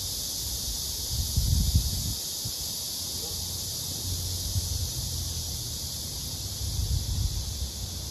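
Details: Male blackish cicada clasping a captured female and singing a serenade to her. A constant shrill buzzing drone is heard, with bursts of low rustling and handling noise around it.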